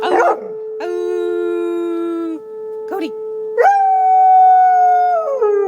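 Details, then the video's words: Alaskan Malamute answering a tornado siren with sustained, tonal howls, one held level for over a second and another that starts high, holds, then slides down near the end, over the siren's constant steady tone. "Malamutehowling at tornado siren"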